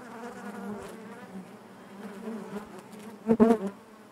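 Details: Steady low hum of honey bees inside the hive, ending with a few loud, close buzzy passes.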